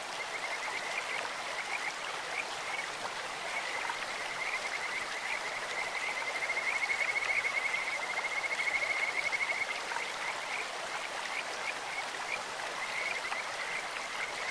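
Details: In a clear stream, Kajika frogs give faint high chirps, then a louder rapid pulsed trill swells for about three seconds mid-clip before fading back, with continuous water noise throughout.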